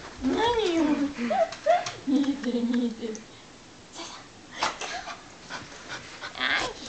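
A Welsh Corgi greets its owners with warbling, rising-and-falling whines and yodel-like vocal 'talking'.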